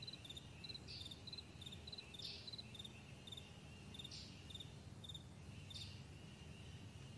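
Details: Crickets on a broad meadow in the morning, chirping in short shrill groups that repeat steadily. Several airy hissing bursts interrupt, with a continuous low rumble in the background.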